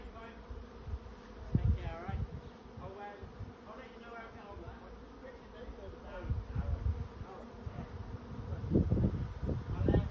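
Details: Honey bee swarm looking for a new home, a dense low steady hum of many wings with louder low thumps and swells, and faint voices in the background.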